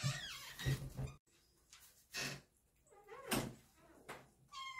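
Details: Kittens at dinner time, eating together indoors: several short, wavering meows, some bending down in pitch, come between bursts of thumping and bumping, with a brief higher thin call near the end.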